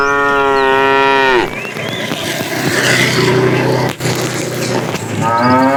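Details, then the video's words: Tame cows herded in the morning on a long walk to green grassy pasture; a long, steady, harmonic moo lasting over a second opens, then a noisy stretch of shuffling, and a second moo begins at the end. "Funny cow sounds"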